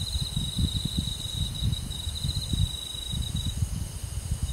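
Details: Crickets on a summer night in a countryside forest: a steady high, thin buzzing trill that holds for about three and a half seconds, then stops, over a heavy low rumble.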